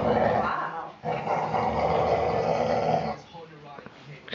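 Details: Puppies four weeks and four days old, Mama Valentine and her brother Hoyt, playing on March 18, 2013; a dense, rough growl runs for about three seconds, then fades, with people talking over it.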